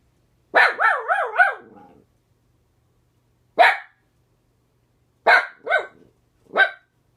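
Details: House dog reacting to a neighbor seen out the window with a wavering, yodeling howl-bark, then three short, sharp barks spaced over several seconds, in a quiet room.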